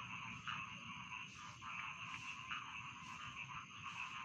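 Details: Rice field frogs calling together in a dense chorus, meant as bedtime sound: layered croaking pulses blur into a steady high buzzing band, with brighter croaks rising out roughly every half second and a constant low background hum.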